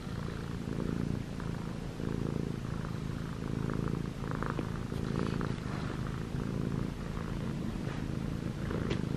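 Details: Six-month-old male Munchkin cat ChoBee, white and gray with short legs, purrs and kneads on pajamas; deep, rhythmic purr in breathing cycles about every two seconds, with occasional soft clicks and rustles.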